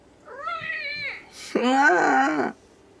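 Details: Ragdoll cat meowing at home in the morning, asking for a door to be opened: a clear, wavering meow followed by a louder, longer, strained meow lasting about a second, with a brief rustle between.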